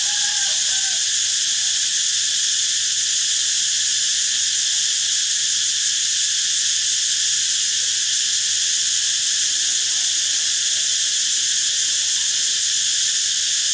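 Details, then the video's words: Cicada song, a steady unbroken high buzz with layered shimmering bands that holds at even loudness throughout, with faint low murmurs beneath. "เสียงจักจั่น Cicada sound"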